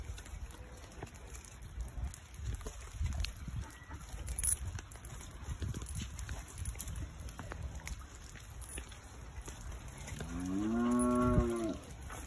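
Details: Cows met by a Labrador named Sadie in the English countryside; a single long, rising-then-falling moo near the end, richly harmonic, over wind rumble and outdoor background noise.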